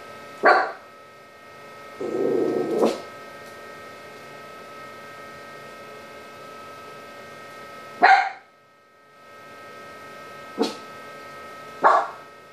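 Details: Toy Poodle noticing and then disabling a spy cam: short, sharp barks near the start and around the eighth, eleventh and twelfth seconds, with a lower rough growly burst in between, over a steady electrical hum.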